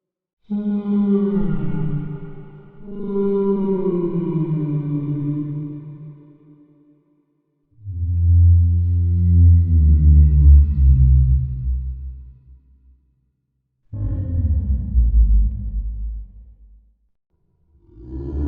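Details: Whale vocalizing in four long, resonant moans separated by short silences, each rich in overtones and sweeping downward in pitch, the later ones deeper and rumbling.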